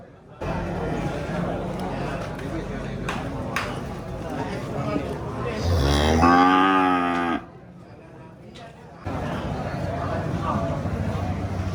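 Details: Cow moo heard amid rough low rumbling noise, one clear harmonic moo around the sixth second with a wavering, falling pitch, followed by a brief quiet pause and more noisy lowing.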